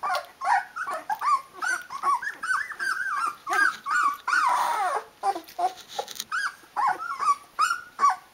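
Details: Several Rhodesian Ridgeback pups, 16 days old, crying for their mother to nurse them: a dense, steady stream of high whimpers and yips, each bending up and down, with a brief noisy rustle midway.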